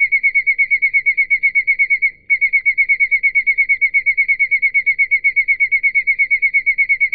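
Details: Field cricket. A field cricket keeps up a clear, pure-toned trill of quick, even pulses, several each second, with one brief pause. The sound is made by rubbing its wings together.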